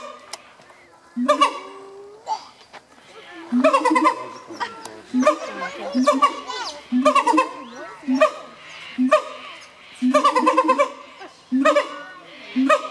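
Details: Siamang gibbons, native to forests of Malaysia, Thailand and Sumatra, in loud repeated bursts of harmonic hooting and barking calls, each bout about a second long, recurring every one to two seconds with short quieter gaps.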